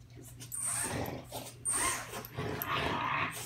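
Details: French Bulldog indoors, upset by a small toy race drone flown inside the house, giving rough, gruff barks and growly bursts in quick irregular succession, with the drone's thin high motor whine flaring up between them.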